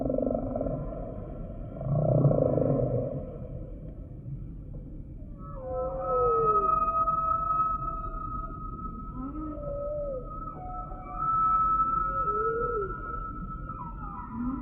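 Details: Humpback whale song opening with a deep resonant groan, then a run of short rising and falling whistled sweeps and a long sustained high tone, repeated at intervals of a few seconds.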